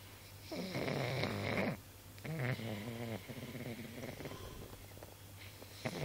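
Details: Pug sleeping comfortably, snoring in rough, buzzy, rattling breaths: a long loud snore, a pause, then a second snore fading into softer, steady snuffling, with a brief snort near the end.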